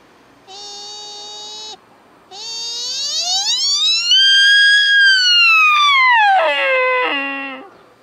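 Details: At Nara Park, Japan, in October 2017, a sika deer stag calls during the autumn rut: a short, steady, reedy whistle, then a long moan that climbs, holds loud and high, and sinks to a low, breaking end; his mating call.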